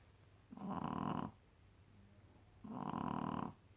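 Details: Sleeping Shih Tzu puppy named Bunny, a female, snoring her head off next to a porcelain companion; two drawn-out, harsh snores with a soft breath between them.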